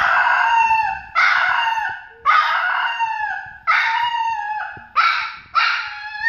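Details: Papillon puppy Louie, described as very talkative and expressive, howls in a run of short, high, quavering wails that sag in pitch at the end.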